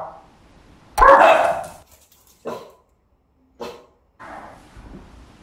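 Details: Pug named Puding, a pet dog pranked with a scary werewolf mask for Halloween, lets out one loud, rough bark, then two short sharp barks spaced about a second apart and a softer breathy huff.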